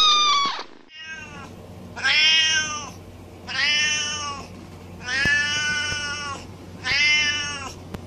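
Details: House cat in a compilation of meowing pets, giving loud drawn meows about once per second and a half, each a rich harmonic wail lasting under a second, over a continuous low electrical hum.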